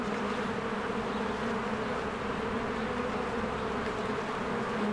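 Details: Unbroken droning hum of many bees at their hive in spring, a busy buzzing texture with steady low bands and no other clear sounds.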